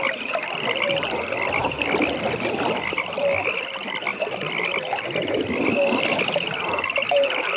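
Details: Pond frogs calling at night: an unbroken, pulsing high trill chorus with occasional short croaks standing out every couple of seconds over a bed of watery ambience.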